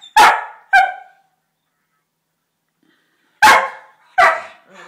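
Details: Playing Staffordshire Bull Terrier pups, two of them: sharp, high barks in two quick pairs, separated by about three seconds of quiet, each bark clipped and ringing.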